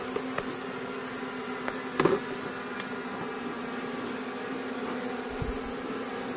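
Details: Wild honey bees, filmed during a natural honey harvest in a simple plantation, produce a steady low droning hum with faint overtones, broken by a few sharp clicks and one brief knock.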